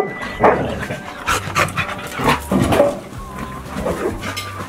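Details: A dog in a playful chase during a heatwave advisory: short, harsh, irregular bark-like bursts with some panting between them, over steady background music with low repeating tones.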